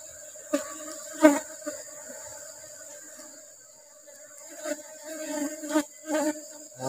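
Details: Asian honey bee (Apis cerana) colony at honey harvest during rubber tree flowering season: a steady low droning hum with an overtone, broken by sharp handling knocks and thuds near 1, 4.5 and 6 seconds.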